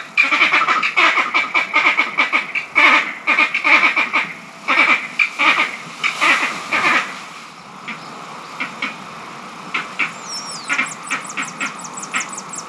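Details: Angry green monkeys in Barbados, perhaps in a territorial dispute over mango trees or a fight for power within the troop: loud, harsh, rapid chattering bursts, dense at first, then sparser after about eight seconds, with a thin high bird whistle near the end.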